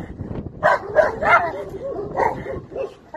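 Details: Young Chinese Red Dog doing bite work in the UK: a run of short, sharp barks and yelps, some rising and falling, bunched in quick bursts with brief pauses.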